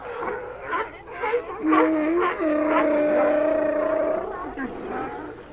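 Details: A sea lion gives a long, steady, harmonic moan lasting almost three seconds, framed by shorter barks and calls from others nearby.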